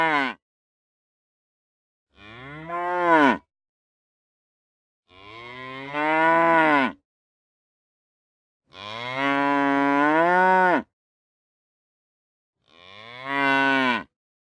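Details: Real cow moos in a series of four calls about every three to four seconds, each a rising-then-falling groaning low, the third longest and strongest, with total silence between.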